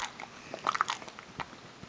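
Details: A Kerry Beagle named Parker bites into almonds indoors. A short, soft run of crunches peaks in a few louder cracks around the middle, then a single snap.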